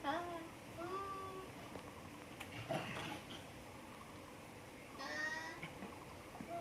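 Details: Formosan rock macaque at a zoo, recorded 14 February 2020: drawn-out, steady tonal calls, one just after the first second and another near five seconds, with shorter rising notes, over a background of murmuring visitor voices.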